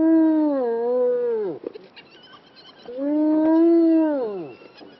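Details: Kruger National Park spotted hyena calling: two long, drawn-out harmonic whoops, the first starting high and sliding down, the second swelling and falling, with a brief quiet pause between them.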